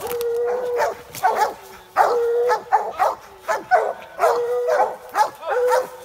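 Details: American Leopard Hounds and a Treeing Walker treeing a raccoon in a swamp. Drawn-out, level bawling howls alternate with bursts of choppy barking from the pack, and dogs call over one another.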